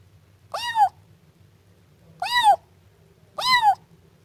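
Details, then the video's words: Three clear, high meows from a Siamese kitten, each bent upward then dropping, about a second apart, against a quiet low background hum. "Efeito sonoro de gato miando filhote siamês"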